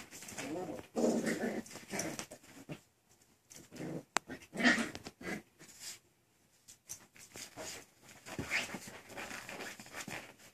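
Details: Six-week-old Miniature Schnauzer puppies, described as playful, make soft whimpers and yips in a small room. Bursts of puppy noise are mixed with a person speaking gently, with pauses of near quiet between.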